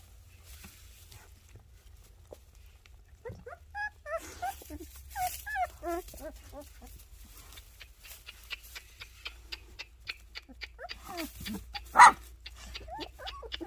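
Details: Puppies giving scattered short whimpers and squeaks after a quiet start, followed by a run of rapid clicking and tapping sounds with one sharp knock, over a faint low hum.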